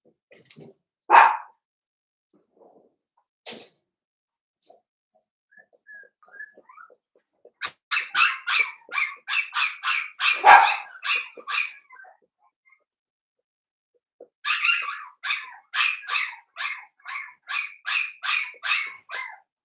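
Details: Five blenheim Cavalier King Charles Spaniel puppies in a home puppy pen; a lone bark, quiet, then long runs of thin, high, rapid yips pulsing about three a second, a second burst after a short pause.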